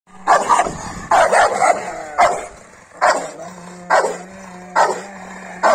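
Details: An aggressive Rottweiler barks in loud, deep bursts, roughly once a second.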